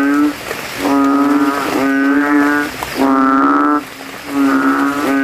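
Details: Male banded bullfrogs calling from a rain puddle in a cemetery at night, rivals competing in loudness with swollen throats; low, bassy, buzzing drones lasting under a second, roughly one per second, several frogs overlapping.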